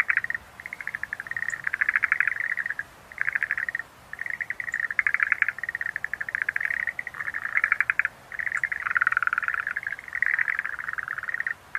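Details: Several Schlegel's green tree frogs keep up a steady run of short, buzzy pulsed croaks, bursts about a second long with brief silences between, and a few faint high ticks.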